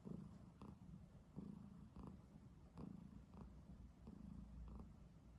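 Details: Domestic cat sleeping soundly on a human bed, snoring: low rumbling breaths in steady cycles, with a faint brighter pulse roughly every 0.7 seconds across the stretch; quiet room otherwise.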